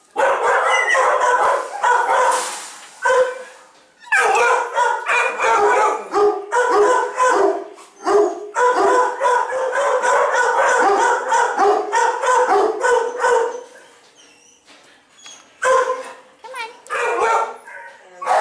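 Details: Scared two-year-old German Shepherd in a shelter kennel, too afraid to leave, giving loud rapid barks blending into drawn-out howling yowls in long runs broken by short pauses.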